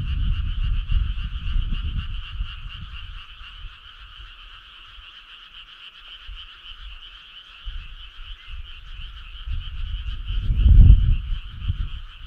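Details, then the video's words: A midsummer-night frog choir gives an unbroken, fast-pulsing trill at a steady pitch, with low rumbling bursts at the start and near the end. "Cool frog sound"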